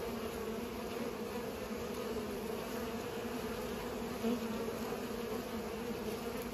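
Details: Several bees at work pollinating, their dense humming buzz unbroken and level, with one brief louder swell near the end as a bee passes closer.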